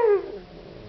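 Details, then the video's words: Cyrus, a Siberian Husky, whines for his sausage toy: a single short, clear whimper that drops in pitch and fades quickly, with a quiet room behind it. "cute husky cyrus talking. he wans his toy"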